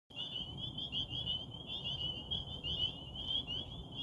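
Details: Frogs calling from a pond in Rehoboth at night under a waxing gibbous moon: a dense, unbroken chorus of high trilling notes that blend into one steady shimmering band, with a soft low rumble underneath.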